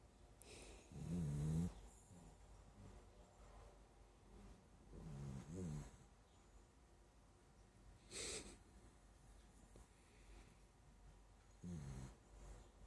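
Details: A sleeping dachshund snoring: low, rasping breaths rise into louder snorts at irregular gaps of about four seconds, with quiet hissing breathing between them against a soft room hum.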